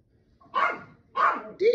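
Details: Two short, bright barks about half a second apart, then a higher yelp, from Chloe the Yorkshire Terrier going crazy over Minki the cat playing in a large box indoors.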